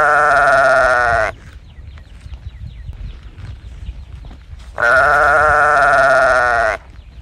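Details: Young calf crying for its mother, two loud drawn-out bawls, the first about a second long and the second nearly two, each a rich, slightly wavering tone, separated by a few seconds of quiet barn noise.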